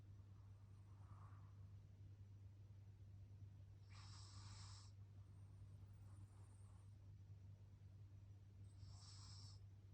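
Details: Young pug, still a baby, breathing noisily in its sleep: soft hissing breaths with two stronger airy snorts spaced about five seconds apart, over a steady low hum.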